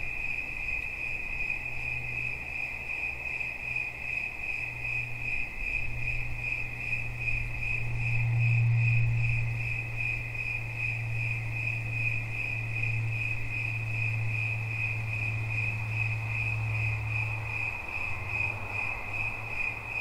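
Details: Cricket keeps up a steady, high, pulsing trill while a low droning hum swells in the middle, peaking around eight to nine seconds, then fades back toward the end.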